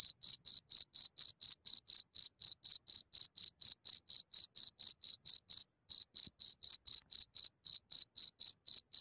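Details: Close-range recording of a cricket emerging from its hole at night in Germany, only centimetres away: an unbroken train of bright, high-pitched chirps, roughly four each second, with one brief gap, nothing else audible.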